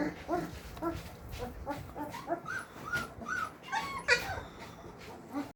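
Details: Several Labrador Retriever puppies whimpering together: repeated short, high, squeaky whines overlapping one another, with a louder cluster near the end amid soft background noise.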